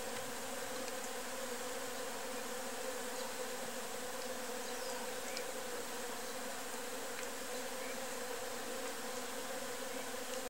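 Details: Many worker honey bees (Apis mellifera) busily carrying pollen into their colony, producing an unbroken, even buzzing drone with faint brief ticks of individual bees passing close.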